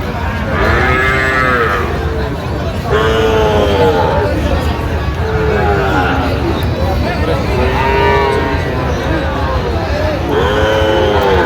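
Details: Sahiwal bull calves at a Tangail cattle market, Bangladesh, 16 October 2025: a series of arched, rising-then-falling moos about every two seconds, five in all, with crowd noise and low rumble beneath.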